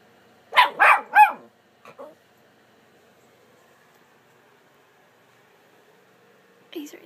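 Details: Pet dog 'talking' back during a chat with its owner: three drawn-out, wavering, yowl-like syllables in quick succession, then two short soft grunts, long quiet, and a brief human voice at the end.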